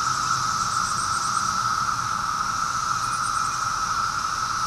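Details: On the afternoon of 23 May 2013, cicadas fill the air with a steady, unbroken electric drone that holds one pitch throughout.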